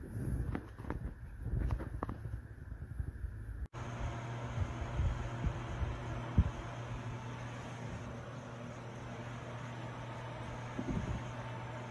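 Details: A steady engine-like hum with fan noise and a few faint knocks fills the recording after an abrupt cut, with no animal calls.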